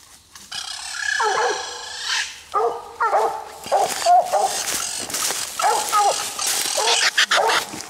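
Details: Night raccoon hunt with coonhounds Nite Ch Fit and Nite Ch Cindy on the second raccoon. Hoarse, chopped barks sound in clusters over a hissy, rustling background.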